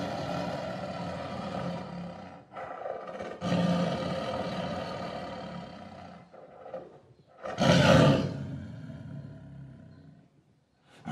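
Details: Tiger producing long, rasping, broadband roars, several drawn-out rumbling phrases with brief pauses and a loud peak around eight seconds before fading away.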